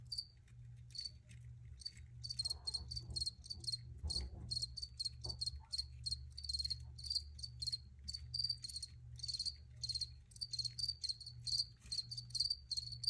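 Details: Crickets chirping in dense, fast trains of high pulsed notes, growing busier and overlapping later, with faint rustling noises in the middle and a steady low hum.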